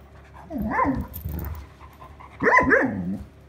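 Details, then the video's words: Sheyenne, an Irish Setter, frustrated and demanding her toy back on 21 August 2022, gives two short groaning, yodel-like vocal bursts with wavering pitch about two seconds apart, separated by quiet rustling. "Give me back my toy 21 Aug 2022 Irish Setter"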